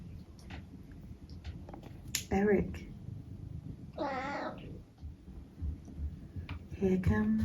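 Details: Pet cat indoors making cute mrrp noises: two short chirped mrrps with a brief fluttering trill between them, over soft room noise and a person talking to the cat.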